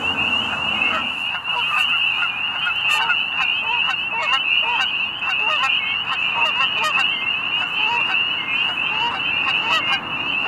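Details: Chorus of spring peepers making mating calls near a goose pond at sunset, late winter into spring, Middle Creek Wildlife Management Area, Pennsylvania; continuous high piping peeps beneath frequent honking of geese throughout.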